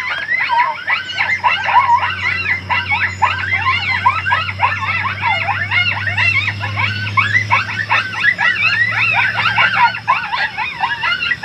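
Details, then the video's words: Summer coyotes in a dense group chorus of rapid yips, barks and short wavering howls. The excited calls overlap continuously and stay at a high, steady intensity, with a low hum underneath. "immediate redemption summer coyotes"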